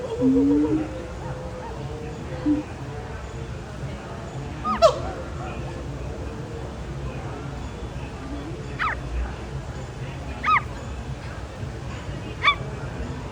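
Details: Monkeys at Disney's Animal Kingdom zoo give short, sharp yelping calls every couple of seconds over a low murmur of crowd noise.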